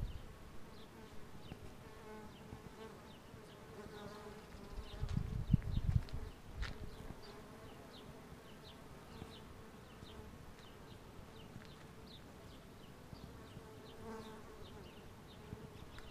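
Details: A continuous, fairly loud droning buzz comes from numerous bumblebees on a flowering wisteria tree in Southern California in springtime. One bee sounds much louder for about a second midway, and light bird chirps repeat in the background.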